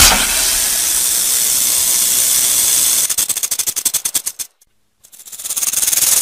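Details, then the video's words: Rattlesnake rattle: three seconds of continuous dry buzzing that slows into rapid separate clicks, falls silent for about half a second, then starts up again. "Suara Ular Derik"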